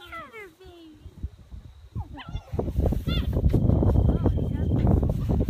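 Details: Bernese Mountain Dog puppies playing together a week before leaving for new families; several high, wavering whines and yelps with bent, sliding tones in the first seconds, then loud rumbling, thumping play and handling noise.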